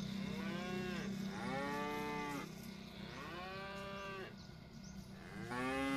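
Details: Tame village cattle being herded together home to their pen on a farm, lowing in long, drawn-out moos: four harmonic calls that swell and fall, some overlapping, with a steady low hum beneath.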